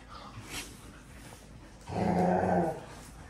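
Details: Playful puppies, with an Australian Shepherd visiting a group of young dogs: a deep, rough growl surging for under a second near the end, preceded by quiet rustling.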